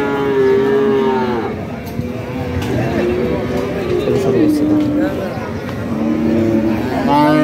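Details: Cattle and calves of white, red and black colours, local and foreign types, at a Bangladeshi livestock market; a few long, steady moos rise above constant crowd chatter and passing vehicle noise.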